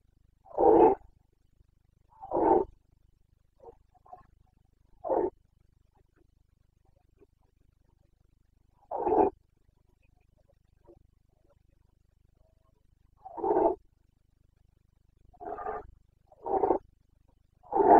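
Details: Roars of a Carpathian red deer stag in the Bucovina rut, 29 September 2022: short, harsh, throaty bellows repeated irregularly, about every one to four seconds, some fainter grunts between them, over a quiet background.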